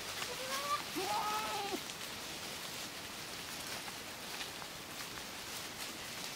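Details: Miniature goat kids playing at pasture on the Domaine des Tourelles farm: one wavering, harmonic bleat of about a second and a half with a shorter cry before it, under a steady rain-like hiss.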